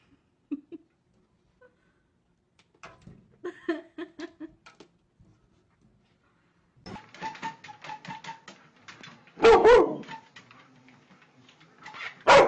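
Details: Siberian Husky puppies in a compilation of playful pups: scattered short high yips and squeaky barks, a quiet stretch, then a louder burst of yelping near the end, with a few human words in between.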